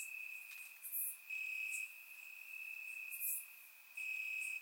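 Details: Grass crickets on a warm summer night in Bulgaria, surround recording: a thin steady high trill switches between louder and softer bouts, with two or three sharp very high chirps breaking in.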